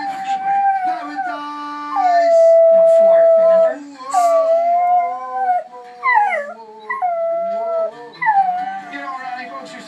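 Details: A pit bull puppy reacts to Eddie Money singing "Two Tickets to Paradise" in a TV commercial, howling in long, wavering tones that slide up and down, with a person speaking.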